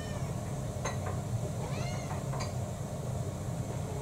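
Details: Indoor pet cat among six mixed-breed cats at feeding time, April 2024. Soft, brief arched meow in the middle with scattered clicks and taps, over a steady low hum.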